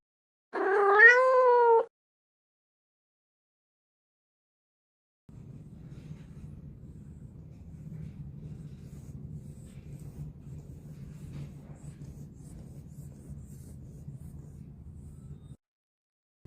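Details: Abandoned Norwegian Forest or Persian cat being rescued from an old building under reconstruction in Ulsan: one loud, drawn-out wailing meow rising then falling, followed by silence and a long low rumbling purr-like growl.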